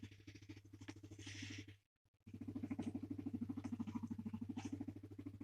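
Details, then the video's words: Male guinea pig purring and rumbling contentedly as he is stroked and petted: a continuous rapid throbbing purr, briefly cut by a short silence, then resuming in fast, even pulses over a low background hum. "Guinea pig rumbling noise #happy #purring"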